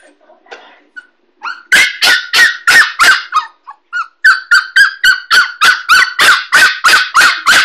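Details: Kooikerhondje puppy named Zorra, 6.5 weeks old, in her crate at home for the first time; after a few soft whimpers she breaks into a rapid run of high, sharp barks, about three per second, in a small indoor room.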